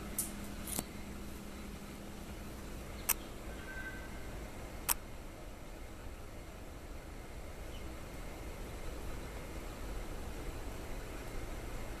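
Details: Quiet steady hum of background noise broken by a few sharp clicks.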